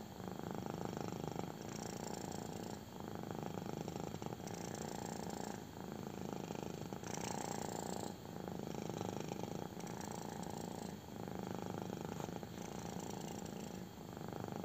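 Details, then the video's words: Belly rub for a contented kitten, which purrs intensely: a long, unbroken low vibrating rumble cycling with breaths every second or so, the inhale and exhale phases audible, gentle brushing of fur in the background. "CUTE KITTEN LOVES BELLY RUB! | INTENSE PURRING"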